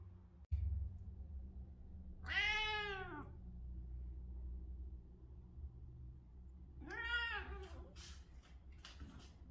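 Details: During the day a British Shorthair cat meows twice, about five seconds apart, each call arching up then down in pitch, over low continuous rumble and a few sharp clicks.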